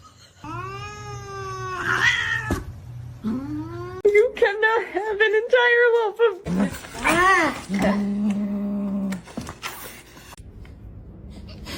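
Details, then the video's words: Drawn-out meows from a domestic cat, several long tonal wails rising and falling in pitch, some wavering, one after another, mixed with human voices talking over them in an indoor scene from a funny cat compilation. "kitten meowing cute"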